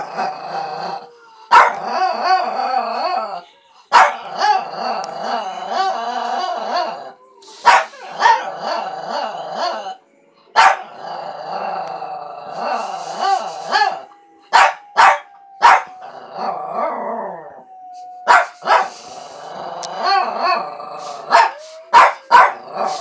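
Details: Oscar, a dog, tries to howl: wavering, harmonic howls rise and fall in long runs, broken by sharp single barks and yips, with brief pauses between bursts.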